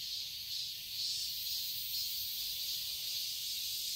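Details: Brief stretch of summer cicadas in a Seoul, Korea garden: an unbroken, sizzling high drone that rises and falls gently in loudness.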